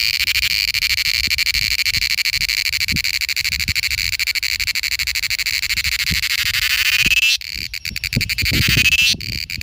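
A cicada produces a dense, shrill buzzing drone with a rapid pulsed texture, holding steady for several seconds. Toward the end the sound shifts abruptly into stuttering bursts and clicks before the buzz resumes.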